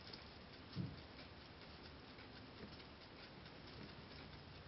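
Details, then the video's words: Momo, a six-month-old female Holland Lop rabbit, steadily eating timothy hay: soft crisp clicks and crunches in a continuous patter, with one louder bump near the start over a faint room hiss. "うさぎ牧草を食べるrabbit eating timothy"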